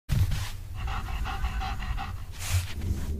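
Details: German Shepherd dog panting: rapid, rhythmic breathy huffs about three per second, steady throughout with a low rumbling background.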